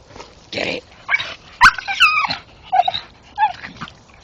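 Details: Male Staffordshire bull terrier chewing a tree stump at night, making short squealing whines, some sliding downward, spaced about half a second apart, mixed with chewing noises and an owner urging it on.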